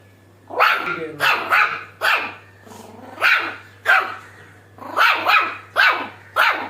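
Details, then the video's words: Shih Tzu puppy making its first laugh-like sound: a string of about nine short, breathy, rising yelps in quick bursts roughly every half second, with a steady low hum underneath. "Shih Tzu puppy Daisy Adorable Laugh Sound"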